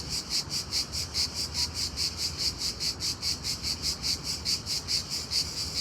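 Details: An unusually loud cricket chirps steadily in the daytime, high-pitched pulses repeating a little over twice each second.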